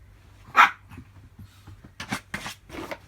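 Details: Roku, a small pet Chihuahua, indoors working its way past a cardboard wall to reach Rei, recorded before a June 2018 injury; one sharp, loud bark early on, followed by softer scuffling and rustling sounds in a quiet room.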